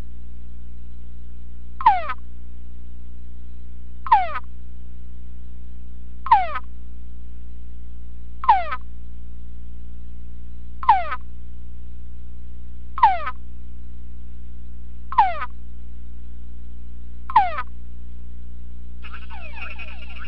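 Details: Male túngara frog in a sound-proof box calling back to conspecific chorus played through a speaker: eight descending harmonic whines about every two seconds, then a denser burst of overlapping calls at the end, over a low hum.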